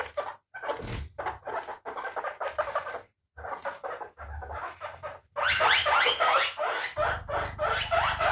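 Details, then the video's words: Pet guinea pig uttering a fast, uneven train of short chirping squeaks, roughly three per second, with brief pauses, growing louder and harsher toward the end. "Efeito sonoro de porquinho da índia"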